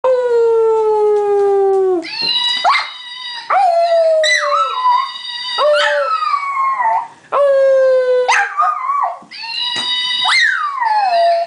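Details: Munchie, a dog, howls in long sustained tones that slide slowly downward, broken by short rising yelps and wavering notes, the howls coming in bursts every couple of seconds.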